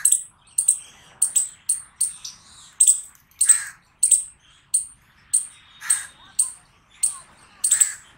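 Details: Squirrel giving loud barking calls: a steady run of piercing, clipped chirps, some with a softer lower trailing sound, spaced about every half second against a clean, quiet background.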